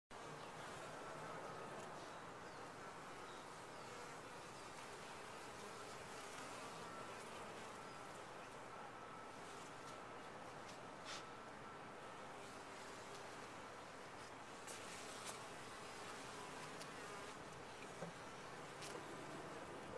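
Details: Bees inside a top-bar hive, a soft, steady, even hum of many insects throughout, with faint occasional clicks and no other clear sounds.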